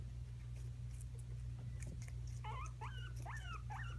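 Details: Two pet guinea pigs fight over peppers. A loud steady low hum and rustling fill the first half, then a run of quick, chirpy, wavering squeaks repeats rapidly over the last second and a half.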